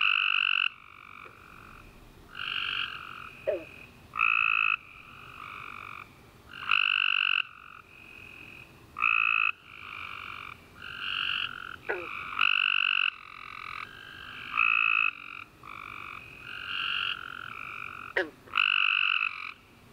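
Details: Dense night chorus of tree frogs after a warm rainy summer day: many overlapping trills, short and long, following one another closely, with occasional sharp clicks and brief chirps.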